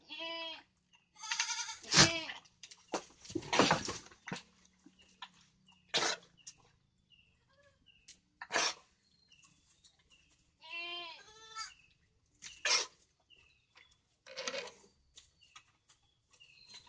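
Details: Goat uttering short, wavering bleats at irregular intervals, interspersed with sharp knocks, rustling and clattering noises.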